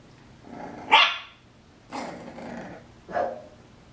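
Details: An English Bulldog puppy, recorded December 20, 2016, gives three short, husky barks about a second apart, one trailing into a rough growl.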